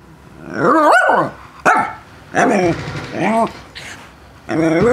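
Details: A West Highland White Terrier playing ball and talking about it: several rising-falling whining howls and growly yowls in short bursts, each under a second, with brief pauses between.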